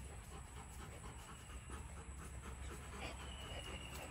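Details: Rottweilers during a family day, heard panting in quick, soft breathy puffs, roughly two or three per second, over a steady low rumble with a thin high whine running through.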